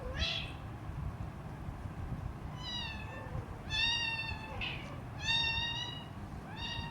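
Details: Hungry three-week-old Siamese kitten meowing loudly near its mother cat, about six high, harmonic meows, some short and some drawn out and gently falling, over a steady low background hum.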